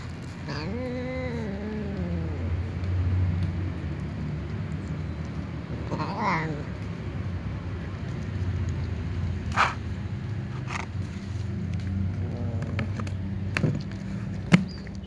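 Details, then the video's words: Domestic cats, including kittens and other cats, meowing while enjoying their food; a drawn-out, wavering harmonic meow opens the recording, a second shorter meow follows about six seconds in, with sharp clicks and a steady low hum throughout. "Babykitten , Little cats and other cats meow and enjoy their food"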